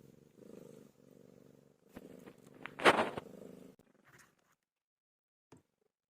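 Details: Pet cat named Pilo while giving birth: soft rhythmic purring in short bursts, then a louder, sharper cry mid-way, followed by near silence and a brief click.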